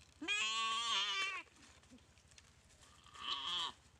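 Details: Goat bitten and paralysed by a Komodo dragon in a dry river at Komodo Village, crying out during the attack: a loud, harmonic, wavering bleat of about one second, then a second shorter, quieter bleat after a pause.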